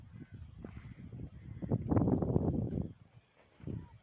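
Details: Two angry camels fighting in a desert area; a loud, rough gurgling roar swells for about a second amid low rumbling, with quieter grunts before and after.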